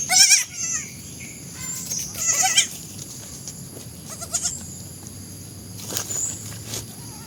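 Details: Baby goats bleat in short, quavering bursts, several voices calling at irregular intervals.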